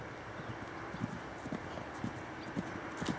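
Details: Percheron cross in a paddock in July, hooves thudding in a soft, irregular clip-clop about twice a second over steady background hiss.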